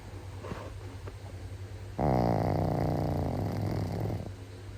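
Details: Dog snoring: after soft breathing, one long, loud, rumbling snore starts abruptly and lasts about two seconds, then fades back to quiet breaths.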